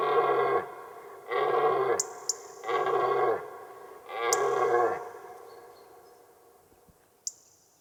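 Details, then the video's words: Rutting red deer stag roaring, captured close on a Røde VideoMic NTG shotgun microphone without a sense of space: four deep, harmonic-rich roars each lasting about half a second, evenly spaced roughly every 1.3 seconds, then fading quiet with a few faint clicks. "वीडियोमाइक एनटीजी माइक्रोफोन के साथ लाल हिरण की दहाड़ की रिकॉर्डिंग चलाऊंगा । और उसे सुनने का प्रयास करें."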